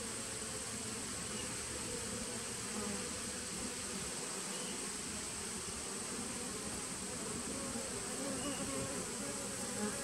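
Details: Honey bees of a 2017 nuc colony, recorded 19 September 2018: a dense, steady hum with low droning bands and a brighter buzzy haze above, unbroken for the whole stretch, with a faint constant high hiss.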